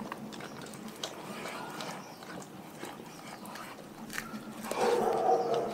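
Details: Raw-fed pack dogs chewing. Soft, uneven crunching and biting comes in a steady trickle, then a louder tonal, whine-like sound rises over the last second.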